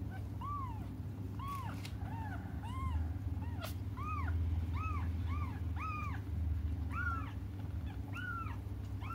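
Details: Crying cats awaiting their mother's return: a long, fairly regular series of short mews, each with an up-and-down arch, coming roughly twice a second, with a steady low hum beneath.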